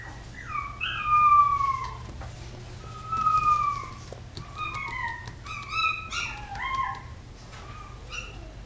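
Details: Chihuahua howling in long, wavering tones that slide downward, in several drawn-out phrases with short breaks between them, some higher yips near the end, and a steady low hum beneath.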